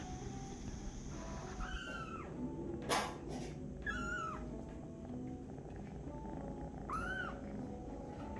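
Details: Jealous, angry little kitten reacting as a cat receives attention from a person: three separate high, arching meows spaced a few seconds apart, each rising then dropping, over a constant low hum with soft tonal background and a brief thump.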